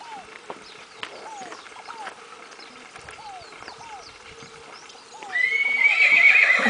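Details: Crioulo foal from the Grande Sertão Veredas line (Goleiro, Goiaba or Gaivota): a loud, high, wavering whinny bursts in near the end, after a steady run of short downslurred chirps repeated about twice a second in the background.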